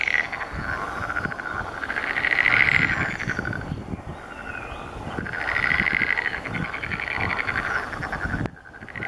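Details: Green frogs calling during their mating season: a dense chorus of rapid, pulsed, rattling croaks that swells in two loud waves and then fades, with a steady background hum and a sudden drop in level near the end.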